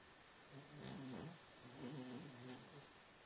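A Cavalier King Charles Spaniel snores in two low, rumbling, buzzy breaths.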